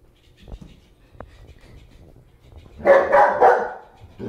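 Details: Bear, a German Shepherd, barking while playing with a floppy fish toy: three rough, closely spaced barks near the end, preceded by soft thumps and low room noise, a person urging the dog to stop barking.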